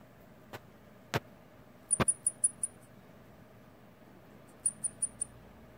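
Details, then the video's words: Baby long-eared hedgehog, separated from its mother, calling anxiously for her: two quick bursts of about four very high, thin, piping peeps, with a few soft clicks in a quiet indoor space. "긴귀고슴도치 새끼의 엄마찾는 소리"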